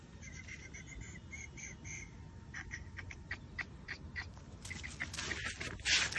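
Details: A white male French Bulldog puppy gives a quick series of thin, high whimpers, ending in a sharper squeal.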